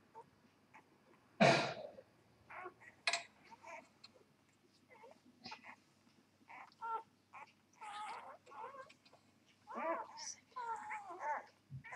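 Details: Newborn Vizsla x Labrador puppies (Vizsla mother, Labrador father) during a live whelping. Short, thin squeaks and mewing cries come in scattered bursts, some rising and wavering, with one louder sharp squeal early on and brief gaps of quiet between.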